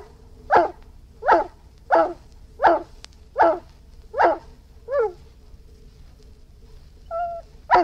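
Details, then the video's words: Irish Wolfhound barking: seven deep, evenly spaced barks about every three-quarters of a second, then a softer, shorter bark and a brief whine before a final bark, against a faint steady hum. "Irish Wolfhound Barking"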